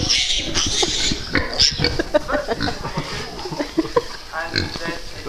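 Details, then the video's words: Micro pigs indoors at Pennywell Farm in Devon, one wanting food, give short grunting oinks in scattered bursts among excited human voices and laughter. "Pennywell Farm Micro Pigs"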